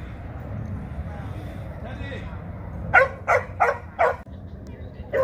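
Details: Jah the Chihuahua gives a quick run of four sharp, yappy barks about a third of a second apart, then one more bark after a short pause, over a low background hum with speech nearby.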